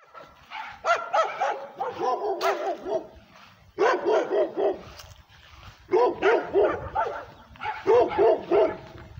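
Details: A female pit bull and Redbone Coonhound mix barks aggressively at the camera held near her, in rapid, harsh, angry-sounding bursts.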